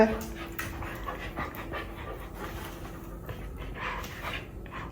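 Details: Pet Border Collie at home, panting steadily in quick rhythmic breaths over a low background hum, with soft human speech in the room.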